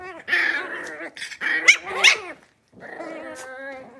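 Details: Five blenheim Cavalier King Charles Spaniel puppies, born at New Year's, newly moved to a big indoor pen. Loud overlapping yips and rough barks, with a growly edge, give way after a short pause to a sustained whine.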